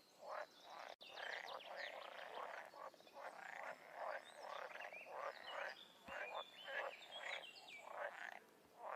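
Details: Frogs and toads in the wild forming a dense chorus of harsh, rattling croaks that run almost continuously for nine seconds, with several voices overlapping and a brief click near the start.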